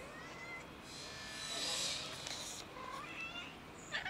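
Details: Domestic cats, a big white one and a black one, eager for food on a cold day. They give several short, plaintive meows, some rising and some falling, against a steady background hiss with a brief noisy burst midway.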